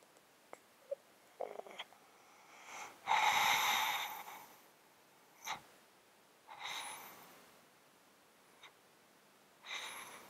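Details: Domestic cat sleeping in a box, breathing with a snotty, wheezy sound from a long-standing underlying disease, close-miked indoors; soft clicks, then a long rasping breath near three seconds followed by shorter snuffly exhales every few seconds.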